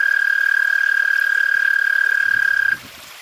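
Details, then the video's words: American toads calling at night in a suburban backyard, part of a Pennsylvania frog and toad conservation project; one steady, high, musical trill of rapid pulses holds a single pitch for nearly three seconds, then stops abruptly, leaving faint background noise. "there's an upcoming scene where the American toads are out calling while there's a fire truck going off and the dog is barking"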